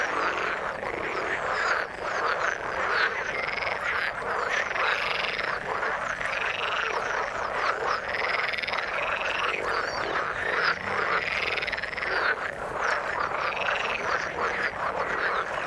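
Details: Frogs in the water call in a dense, unbroken chorus; looping, upward-swinging croaks recur every second or two over a constant rasping background of many voices.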